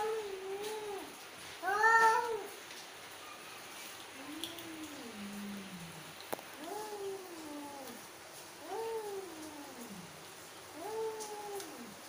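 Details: Angry mother female cat giving a series of drawn-out, wavering meows, each bending up then down, about five calls over twelve seconds, one louder and harsher near the start, quiet background.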